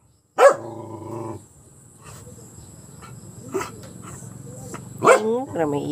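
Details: Hero, a pet dog, barks at an enemy: one loud bark trailing into a droning growl, then continuous background murmuring and talking, and a second sharp bark near the end.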